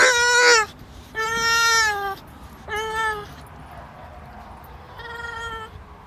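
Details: A male English Bulldog cries in drawn-out, whining wails that sag in pitch at the end, wanting to get through a fence to play with greyhounds on the other side.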